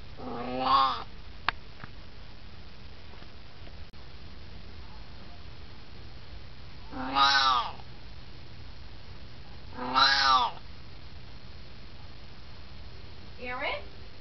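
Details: Talkative 18-year-old Siamese cat lounging at home gives four meows over the stretch, the middle two loud and bending in pitch, the last short and softer, with a couple of faint clicks early on.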